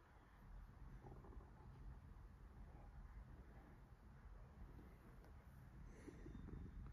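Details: Relaxed cat purring while being petted: a steady, low, rumbling purr that stays even throughout, with faint background hum and no other voices.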